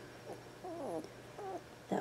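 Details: Two-week-old female Border Collie puppy giving two short, wavering, squeaky whines, the first longer with bending tones, then a brief quieter one, followed by a sudden louder burst at the end in a small indoor space.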